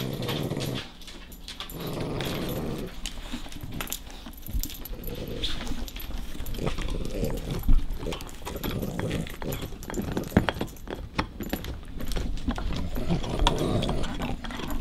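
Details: Nash, a pet dog, guards his favourite bone from the playful puppy Carla. Low, continuous throaty growling rises and falls in bursts, with occasional whimpering tones, rustling and scuffling throughout the tussle.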